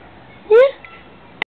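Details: Two dogs, a Labrador and a Drentsche Patrijshond named Kizzy and Mollie, at play in an empty garden; one gives a single short, upward-sliding yelp, followed by quiet and a faint click at the end.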